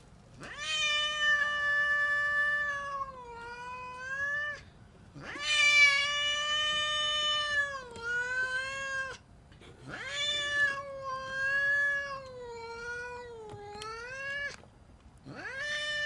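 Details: Angry cat caterwauling in a string of long, drawn-out yowls, each several seconds long, wavering and dipping in pitch before rising again, separated by brief pauses.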